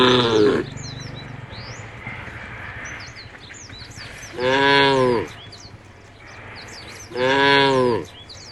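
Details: Herd of tame cows walking to a field by the forest, with two loud separate moos about three seconds apart after a short one at the start, and bird chirps in a quiet background.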